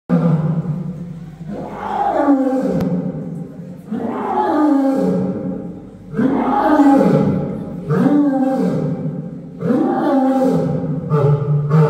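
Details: A lioness at Sofia Zoo gives a series of deep, drawn-out roars, each one rising then falling away.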